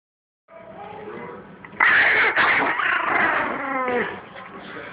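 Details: Two Chihuahuas, Teetee and Kevo, best friends squabbling with each other; a low rumbling growl erupts into loud, harsh snarling and yappy grumbles with whiny rising tones, sustained for several seconds before easing.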